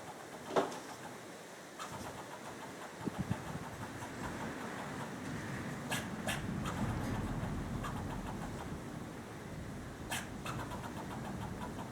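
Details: A steady low engine rumble with a few sharp clicks, and no animal voice.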